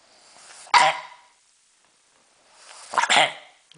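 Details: Pug coughing and choking, two harsh, noisy hacking bursts about two seconds apart, the second longer and rougher, with quiet pauses between.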